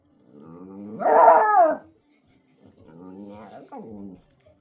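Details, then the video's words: A five-month-old black-and-tan Shiba Inu puppy confronting a recorder gives a drawn-out, wavering howl-like bark that rises and falls, followed after a brief gap by a quieter, lower grumbling whine. "5개월 시바견블랙탄 용감해지다! 드디어 짖어보는시바견 녹음기와 싸우다"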